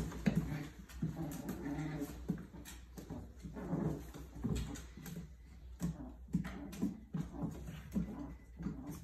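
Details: Puppies at play, giving soft, short low whimpers and grunting squeaks in scattered bursts, some clustered close together, over a steady low rumble and shuffling noises.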